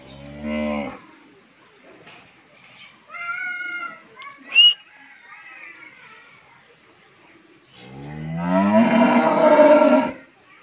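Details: Fifteen-month-old Friesian heifer calf on a dairy farm in Bhangura, Pabna, Bangladesh: a short, low, deep moo opens, a higher tonal bellow follows midway, and a long, loud, rich moo swells near the end. Quiet gaps sit between the calls.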